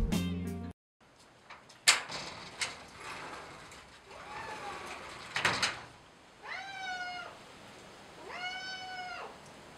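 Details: A sweet lap cat in foster care awaiting adoption in Western Australia gives two drawn-out, arching meows near the end, after scattered knocks, thumps and handling noises in a quiet room.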